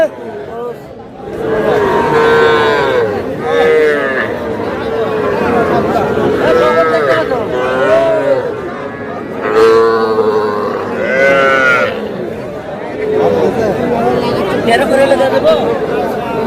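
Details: Young bull and heifer calves at a Madaripur livestock market in Bangladesh, bought by a farmer; repeated drawn-out moos, some wavering, from several calves over steady market chatter and men haggling.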